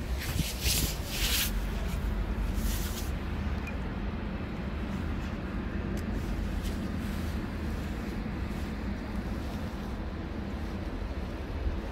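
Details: Steady low traffic rumble from an urban street, with brief hissing bursts in the first three seconds and no animal calls.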